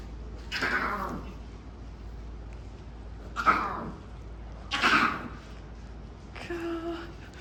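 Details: One of four newborn lion cubs, a male and a female among them, at a safari park in Yamaguchi, Japan, gives short, raspy, falling cries, nothing like a house cat's mew; cubs reportedly cry when they want something.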